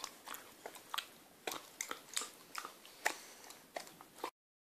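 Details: Six-month-old female Akita puppy indoors struggling to chew sticky toffee from a chocolate eclair; quiet sticky clicks and smacking bursts repeat irregularly about twice a second, then stop abruptly.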